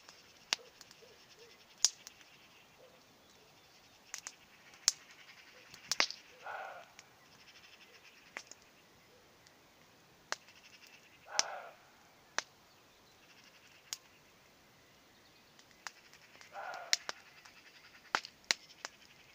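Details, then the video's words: Roe deer calling in the distance on a beautiful evening in Poland, hawthorns blooming, a campfire lit nearby; three short harsh barks spaced about five seconds apart, over loud sharp crackling clicks from the fire. "Deer sounds...czyli nasz lokalny "diabeł tasmański""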